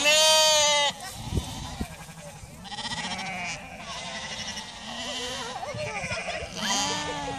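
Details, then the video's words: A chorus of Icelandic sheep: a loud harmonic bleat opens, followed by overlapping lower and wavering bleats from several animals with hardly a pause, the flock calling steadily throughout. "Íslenskar sauðkindur jarma í kór"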